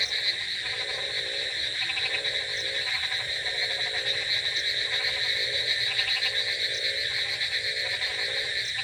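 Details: Rainy-night frog chorus of rapid, rattling croak trains overlapping one another, with a continuous high buzzing background like insects.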